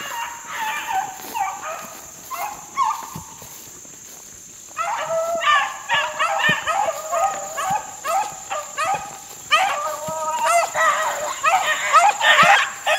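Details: Young Beagle pups, four months old, on a rabbit in open country in 2013. A few yelps give way to a pause, then a dense, continuous chorus of ringing bays from the pack, with a constant high tone behind.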